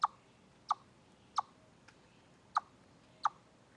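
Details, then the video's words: Five crisp, percussive chips from a chipmunk at Deer Trail, recorded off a live stream on 27 August 2013, repeated about every two-thirds of a second in a fairly steady rhythm. "Noise Chipmunk"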